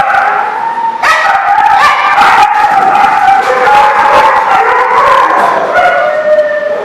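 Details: Dog recorded at The Barking Lot on 3/24/14, giving a loud sustained howl that wavers slightly in pitch and breaks off near the end, over constant background noise.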